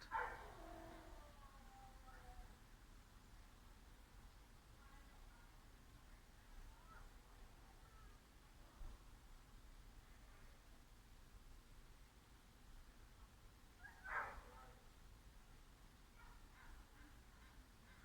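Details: A large dog, possibly a sheepdog, left alone in a gray pickup with windows open in a library parking area, barks in muffled, scattered bursts over a steady low rumble, having barked for well over 10 minutes.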